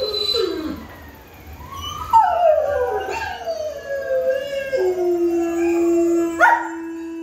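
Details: A dog eating in her kennel howls in response to played howl-inducing sounds: long, wavering tones that slide up, then sink to a steady, drawn-out note. Dog.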